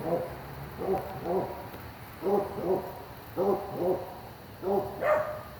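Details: At night near a house driveway, a suspected coyote gives short, hoarse barking yowls in pairs, the last one rising into a higher wavering cry; the caller is unsure what animal it is.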